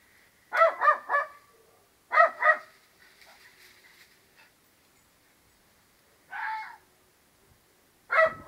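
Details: A dog gives bursts of short, harmonic barks, trading calls back and forth with a fox as if in conversation; hounds join in partway through.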